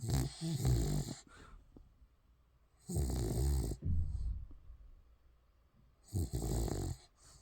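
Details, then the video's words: Spitz puppy in deep sleep snoring indoors: three loud, rough, rattling snores with a deep low rumble, each about a second long and spaced roughly three seconds apart, separated by quiet breathing. "강아지 코골이+꿀잠"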